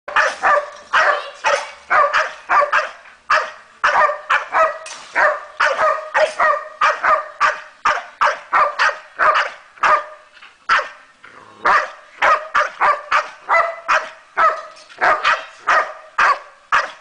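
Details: Zena, a 13-month-old Staffordshire bull terrier, barks in a steady stream of sharp, mid-pitched barks, roughly a hundred and more per minute in uneven bursts, with brief pauses between runs and no other clear sounds.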